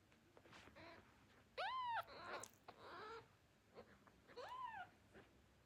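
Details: Tiny newborn kittens, hungry and calling for their mother cat, give thin arched mews rising then falling, one loud sharp cry followed by softer squeaks and rustling, then another clear arched mew.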